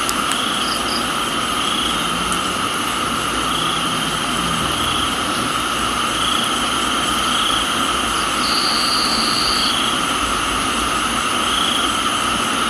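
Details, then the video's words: Crickets in a tropical garden in Thailand: steady, high, ringing insect tones hold at several pitches without pause, with brief higher whistled bursts above them and a constant hiss of rain underneath. "Thailands Tropical Garden, Rain and Crickets"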